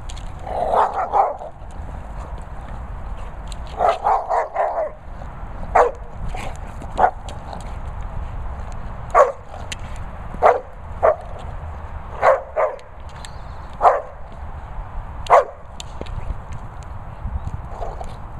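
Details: Staffordshire Bull Terrier, a charming dog at a Worcestershire countryside training and boarding kennels, gives short barks and yips in irregular bursts, some clustered in quick doubles, over a steady low background hum.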